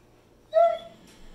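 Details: Zeusy, a Pit Bull, begging for more chicken: one short tonal howl note, steady and slightly falling, lasting under half a second, then quiet.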